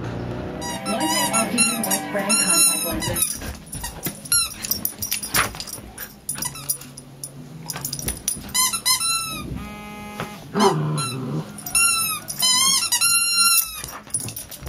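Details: Charlie, a hyper puppy, lets out bursts of high, squeaky whines and yelps in quick clustered runs, some rising and falling, with pauses between flurries; music plays in the background.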